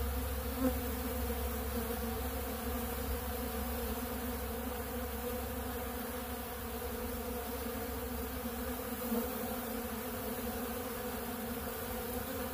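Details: Quieter, even humming of honeybees gathered at a big blue feeder of ultra bee pollen: a soft, continuous buzz with a couple of faint ticks.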